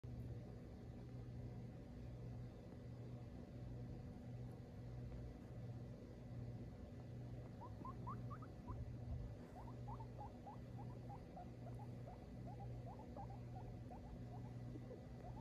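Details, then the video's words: Phoenix, a female guinea pig, complaining that her dinner is late: after a quiet start, runs of short, rising squeaks come in quick bursts, repeated over a steady low mechanical hum. "Phoenix the guinea pig complains about her lated diner"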